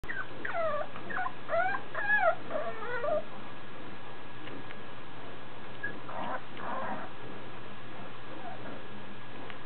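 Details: French Bulldog puppy shut in a kennel and unhappy about it. A run of high, wavering whines and whimpers comes in quick succession over the first three seconds. A shorter burst follows around six seconds, over steady low background hum.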